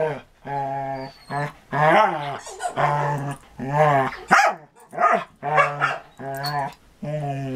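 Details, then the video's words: Two dogs, Marco Polo the Samoyed and Cisco the Border Collie, playing together in 2014; an almost continuous run of low, harmonic, moaning growls rising and falling, broken by brief yips and snaps. "Marco Polo (Samoyed) and Cisco (Border Collie) Playing in 2014"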